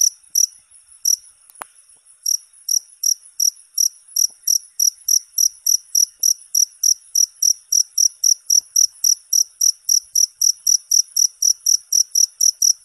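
A cricket chirps steadily, high and pulsing, about four times a second.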